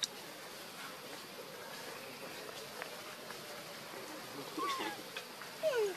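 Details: Baby monkey with its mother Luna: two brief, thin, whining cries near the end, each sliding steeply downward, faint against a steady hissing background.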